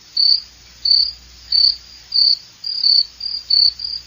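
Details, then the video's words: Close cricket song: clean, high, buzzy chirps spaced a little under a second apart, some slightly broken into shorter pulses, over a faint low rumble. "SOM DE GRILO"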